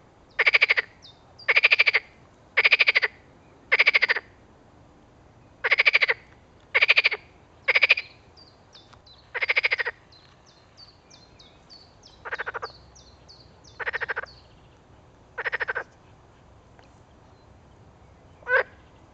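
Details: Edible frog calling steadily: a long run of loud rattling, pulsed croaks about once a second, becoming softer and more spaced toward the end, with faint short chirps in the background between calls.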